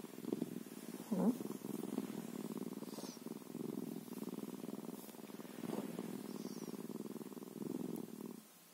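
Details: Bobcat purring close up: a steady, low, pulsing rumble in rounded phrases of roughly one to one and a half seconds, separated by brief soft breaks, stopping abruptly near the end; quiet room, no other sounds.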